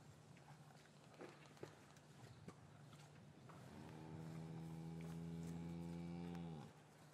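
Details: One sustained, even moo from a cow in a traditional English farm yard on a winter afternoon after the calves were taken from their mothers, rising in at about four seconds, holding steady, then cut off, over low rumbling yard noise.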